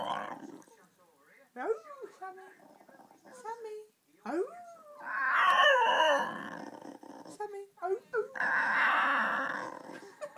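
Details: A female dog 'sings' to her owner in drawn-out, wavering howls that slide up and down, with the owner's encouraging voice between them.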